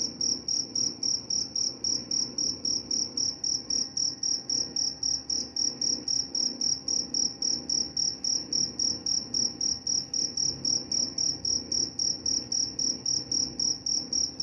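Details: Steady cricket chirping meant to help sleep and drive away mice; a shrill, clear trill broken into quick even pulses, several per second, continuing without pause over quiet low background noise.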